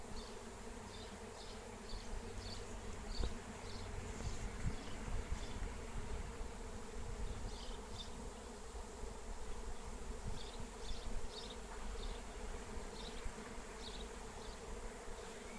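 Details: Wild honey bee swarm in flight during capture with lemon balm, a dense steady drone with harmonic bands around 250–500, plus faint chirps from small birds in the background and low rumbling wind.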